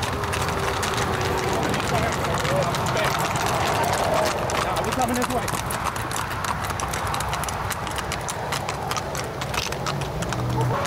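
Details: Hooves of Tennessee Walking Horses beat quickly and unevenly on a 2021 Northeast Texas trail ride near New Boston, with people talking among the riders.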